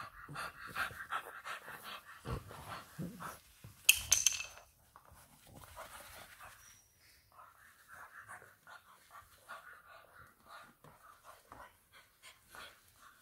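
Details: English Bulldog puppy indoors at a home in Nairobi, Kenya, panting in quick, breathy, hissing puffs roughly three per second; a sharp clatter breaks in midway, then softer, uneven panting continues with faint household noise.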